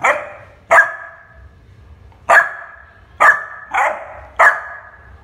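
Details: Barking from Shiro, a young Labrador Retriever: six clipped, ringing barks arriving irregularly, a long gap after the second, the rest roughly every half to one second.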